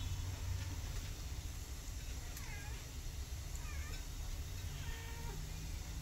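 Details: Domestic cats: a mother cat that has adopted rescue kittens, including one named Sugar. Several faint, thin meows, some rising then falling, come every second or so over a steady low rumbling hum.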